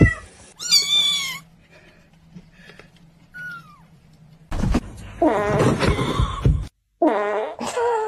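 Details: Kitten giving several sharp harmonic meows, including a bright rising cry near the start and a burst of quick overlapping meows later, separated by quiet gaps and a low thump.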